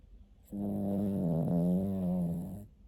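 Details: Snoring pet dog asleep, one long steady droning snore lasting about two seconds, low and nasal with a rich buzzy tone, starting and stopping abruptly.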